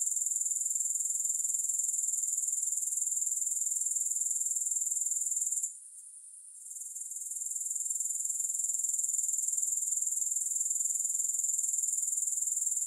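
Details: Continuous high-pitched grasshopper chirring without music, a thin buzzy pulse repeating roughly four times a second, with a one-second gap in the middle before the sound swells back.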